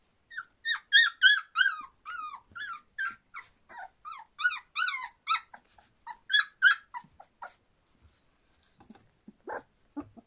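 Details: A litter of Standard Poodle pups, a little over three weeks old, squeal in rapid high-pitched squeaks, about three per second, dipping and rising, fading into quieter scattered sounds after seven seconds.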